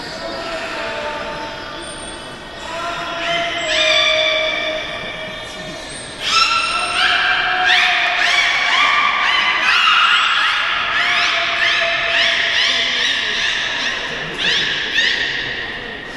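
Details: At Port of Nagoya Public Aquarium a captive beluga utters a long run of bright, harmonic squeals and chirps, some steady, some stepping up in pitch, pulsed roughly three times a second in places, with hall echo throughout.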